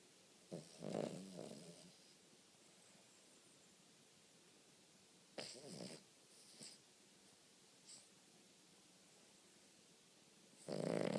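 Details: A sleeping Cavalier King Charles Spaniel snores in short, rough, breathy bursts, mostly low and mid-pitched, separated by long quiet gaps; a few softer snorts come in between.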